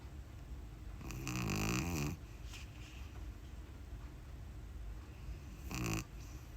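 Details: A sleeping pug puppy named Uni, new to the household, gives two rough snores: a long, rattling, wavering one lasting about a second, then a shorter snort-like one a few seconds later. Soft indoor background hiss.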